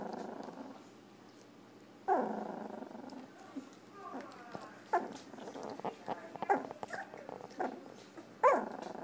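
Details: Two-week-old Golden Retriever puppies from one litter give short squeaky whimpers and yelps, spaced a second or two apart.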